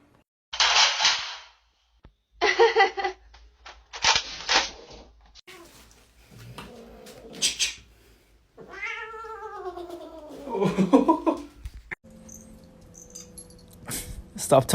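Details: Domestic cat indoors giving three harsh, breathy hissing bursts in the first five seconds, then a drawn-out wavering meow that slides downward, followed by a shorter strained yowl, with a faint low hum in the background.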